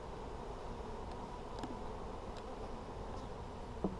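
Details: Honey bees in an Apimaye hive, checked for brood on July 23, 2020: a steady, dense low buzzing hum fills the colony, with a few faint clicks and a brief knock near the end.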